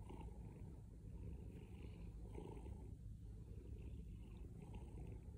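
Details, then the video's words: Low continuous purr from a house cat, rough rumbling texture rising and falling with each breath, loud and close, quiet background. "Loudest cat purring"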